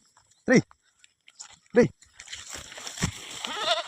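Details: Small farm goat coming home after grazing gives two short, loud, wavering bleats about a second apart. Rustling, shuffling and people's voices follow.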